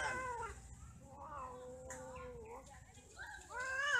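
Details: Domestic cats during mating and quarrelling give a long, drawn-out wavering yowl that holds one pitch, then dips before rising again into harsher, climbing wails near the end.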